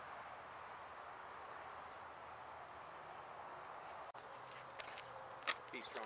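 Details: Honey bees from a hive struck by construction crews while demolishing an abandoned home in Mission, Texas, during a rescue removal; a steady, dense droning hum fills the recording, with a sharp knock and brief voices near the end.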